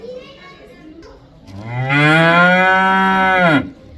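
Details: Cow mooing: one long, loud, harmonic-rich moo lasting about two seconds, steady in pitch and then dropping sharply at the end, preceded by faint low background murmurs.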